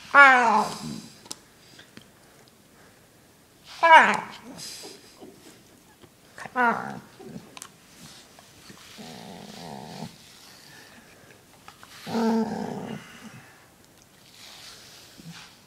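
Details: Indoor dog grumbling while being brushed, with three sharp descending whine-groans spaced a few seconds apart, then softer low buzzy growls. Human speech and quiet room sounds fill the gaps.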